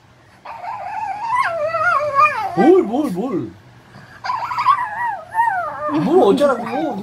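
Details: Indoor Shih Tzu voicing two wavering whimpers, each sliding up and down in quick zigzags of pitch for about three seconds, separated by a brief pause, with a person talking alongside.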